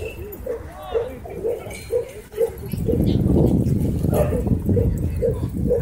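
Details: Barking at a dog park during a scuffle between a German Shepherd and a Bull Terrier: a run of evenly spaced barks about twice a second, then a burst of loud rumbling noise and voices.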